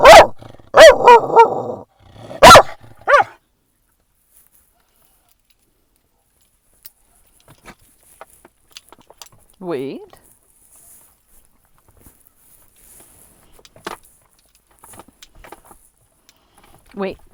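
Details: Dog barking at other dogs at a San Diego dog park around sunset: a burst of four or five loud, harsh barks in the first three seconds, then long quiet with faint rustles, a brief voiced sound, and a person talking.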